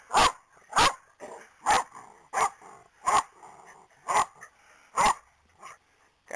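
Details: Corgis let out of the yard to hunt for hoof trimmings left by the horse shoer; sharp, evenly spaced barks, about one every 0.7 seconds, with softer yelps between them.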